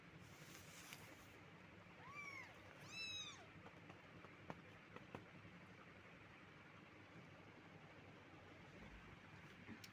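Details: Cat, possibly young, uttering two thin, high meows in quick succession, the second with a sharp upward then falling arc, then quiet room noise with a few clicks.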